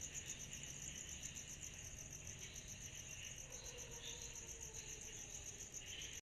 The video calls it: Sound Effect of Cicadas in Summer at Night highlight